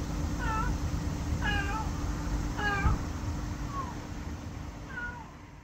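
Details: Very talkative little black stray cat making friends at a Lawson convenience store, August 2024: five quick meows roughly one per second, some rising then falling, others a single sliding note, with constant low mechanical hum behind.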